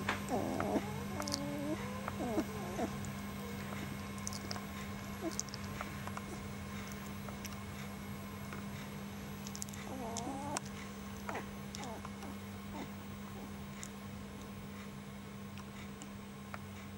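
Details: Rough Collie puppy, a sable male 19 days old from the Obelix and Batisa litter, gives short high squeaky whimpers in a burst at the start and again around ten seconds, with a steady low electrical hum throughout.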